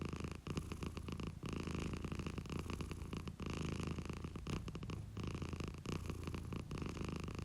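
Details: Domestic cat purring, recorded from the owner's own pet: a steady low rumble with pulsed texture that swells and fades in phases, broken by brief pauses near half a second and about three and a half seconds.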